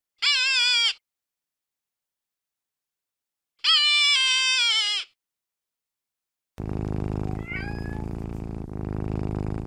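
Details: Cat meowing twice, each a clear, rich, slightly falling meow of under a second, spaced about three seconds apart, followed by music.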